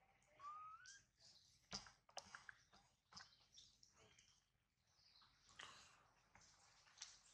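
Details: Baby monkey Adler cries while held in the hands of a small monkey, missing his mother and hungry; a thin rising squeal opens, followed by scattered short squeaks among soft rustling and handling noises.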